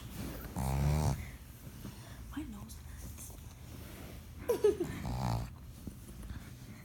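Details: Pet pug, a female, snoring in her sleep: two deep, buzzing, drawn-out snores roughly four seconds apart, with people talking and a short laugh heard in between inside a small room.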